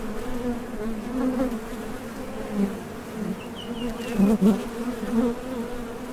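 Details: Honey bees buzzing at the entrance of a Top Bar Hive as foragers depart and land; a low constant hum punctuated by louder passes of individual bees close by, plus a few faint high chirps.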